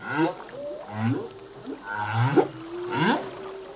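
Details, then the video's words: Humpback whale male's ocean song: a rapid series of short rising and falling moans and chirps, overlapping upsweeps with faint hissing sea noise behind. "Whale song - full length humpback whale song"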